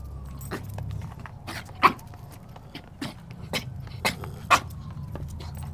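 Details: Small white female poodle, a former breeder dog, playing outdoors with other dogs, bumping and barking to play; two short sharp yips stand out among soft scuffling, footfalls and a steady low rumble in the background.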